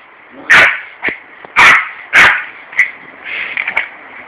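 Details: A Yorkshire Terrier defends his garden turf against a hosepipe as his owner waters the lawn on a warm summer day. He gives shrill, yappy barks in quick, uneven bursts, with softer yips and whimpers between.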